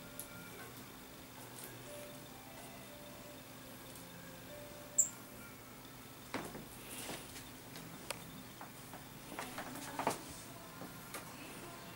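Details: Only a low steady hum with scattered soft clicks and rustles; no birdsong or other animal voice stands out.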